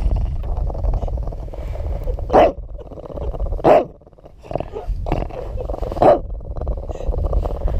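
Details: Pet dog Charlie, defending his Christmas hot dog, lets out deep, rough growls broken by sharp bursts of snarling about every one to two seconds, with music and a person's voice alongside.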